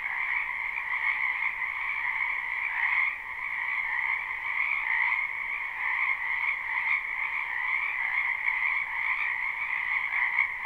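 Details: Continuous frog chorus from a spring wetland behind a home, live and unlooped: bright, overlapping trilled calls at a constant high pitch, a brief dip near three seconds, then the even drone resumes.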